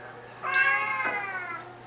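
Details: Two Siamese cats call loudly at feeding time; a strong, nasal, drawn-out meow starts abruptly and holds for over a second with a brief break midway, as a person asks if they are hungry.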